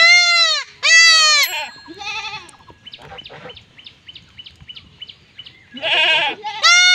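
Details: Goat in a village during castration bleating loudly twice, then quieter, quavering cries and a run of short clicking chirps before the piercing, harmonic-rich bleats return at the close.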